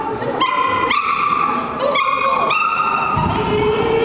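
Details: Poodle giving high drawn-out whining cries with a clear tone, each held about half a second and slightly rising, repeated several times over a constant loud background hiss and murmur.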